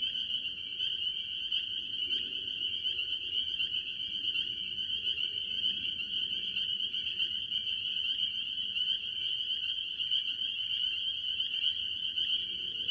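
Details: Various tree frogs, mostly spring peepers, calling from a farm pond early in the year: high, ringing peeps overlap into a continuous chorus, over a low murmuring background rumble that rises and falls.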